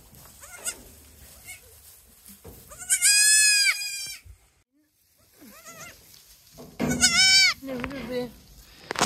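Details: Two newborn goat kids in a goat barn, calling for their mother GIN, who ignores them and has no milk; loud wavering bleats around three and seven seconds, with softer bleats between.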